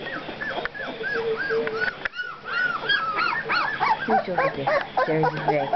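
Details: Two-week-old puppies crying in a steady run of rising-falling whines, growing denser and more chaotic in the second half as several pups call at once, with a person talking nearby.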